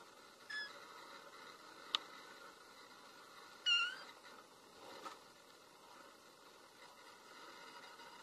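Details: Kitten with a cute black nose giving short, high mewing calls: a faint one near the start, a clearer squeaky meow around the middle and a soft one after, over a quiet background hiss.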